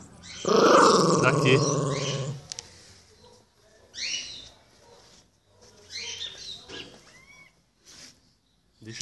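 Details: Pinscher dog guarding its ball, a rough rasping growl lasting about two seconds, followed by quieter pauses and a person speaking Portuguese in between.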